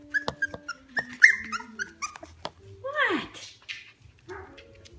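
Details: Five-week-old Norfolk Terrier puppies at play indoors, giving thin high whimpers and a few sharp falling yelps, with a person talking softly to them throughout.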